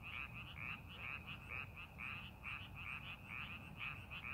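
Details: Frogs croaking in rice paddies during farming preparation; rapid series of short, rasping, high croaks in overlapping groups, with low background noise throughout.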